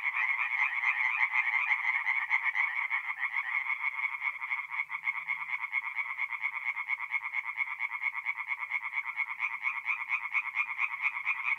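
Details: Tree frogs in full chorus at night in a north-east Italian forest pond during mid-April: many rapid, evenly pulsed croaking calls layered into a constant buzzing throb throughout.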